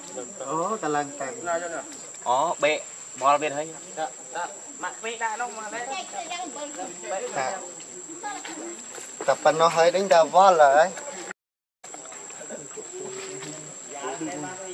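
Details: Monkey named Rainbow, very angry while protecting Lucie from Kachoy: loud, wavering harmonic squeals and chattering cries in rapid bursts, peaking near the tenth second, over a steady high insect hum.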